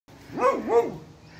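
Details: Male Beagle Bailey calling to play with his eight-weeks-pregnant female Rexa: two quick, tonal yelping barks, each rising then falling in pitch, close together in a quiet room.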